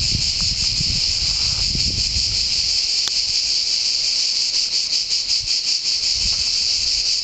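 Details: Deafening chorus of cicadas in the pine woods of San Sostene (CZ), Italy: a steady, shrill, high-pitched buzz that pulses rapidly, with faint low rumbling during the first two seconds.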